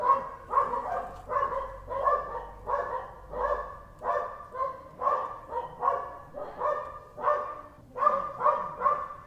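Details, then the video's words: Dog barking in a long, steady run of short harmonic barks, roughly one every second, with a few quicker doubled barks toward the end and no other clear sounds. "CACHORRO - DOG | Som do Cachorro | Cachorro Latindo"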